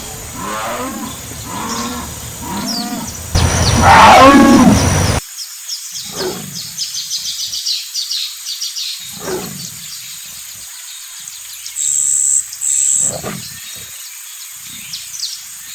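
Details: Jaguar (onça-pintada) roaring: a run of deep, rasping grunts, then one loud harsh burst, then single low grunts spaced several seconds apart. Steady high-pitched insect-like tones run in the background.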